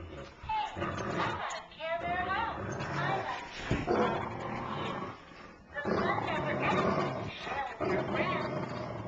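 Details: A Great Dane and a labradoodle fight over a shared stuffed bear toy, giving gravelly, roaring growls in long bursts with brief pauses, while a person talks over them.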